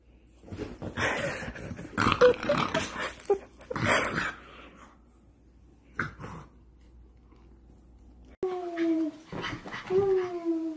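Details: Playing pug puppies: scattered short yaps and noisy scuffles, then two drawn-out, high, falling whines near the end; faint talking in the background.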